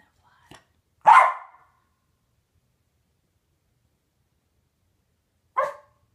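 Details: West Highland White Terrier, a dog said to hate flies and to rarely bark, on fly patrol guarding his owner from a fly: one loud sharp bark, a short clipped second bark after a long silence.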